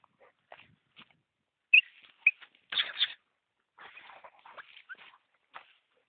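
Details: Vlašić Tornjak, a Bosnian shepherd dog, giving short high whimpers and yelping squeals in scattered bursts, with two sharper yips near the middle and a brief louder double cry, then softer broken whining.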